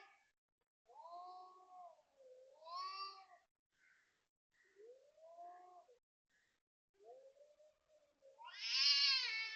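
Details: Cat in Toa Payoh, Singapore, yowling loudly around 5 am on 19 February 2026; wavering low moans and rising-falling wails in short bursts, ending in a loud strained harmonic cry.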